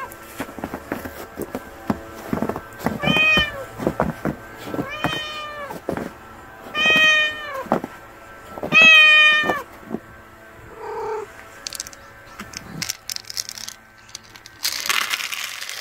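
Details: Hungry stray kitten meowing four times, about every two seconds, each call short and bending downward, over a background of clicks, then a burst of rustling noise near the end.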